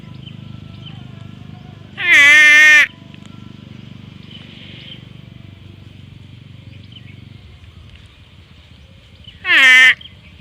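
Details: Two loud water buffalo bleats from a grazing herd, each under a second and sliding downward in pitch, about seven seconds apart, with a constant high-pitched background drone and low rumble.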